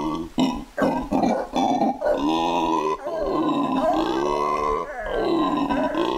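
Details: A black howler monkey in Barba Azul Nature Reserve, Bolivia, gives several short, throaty grunts that build into a long, rough, droning roar, rising and falling over a few seconds.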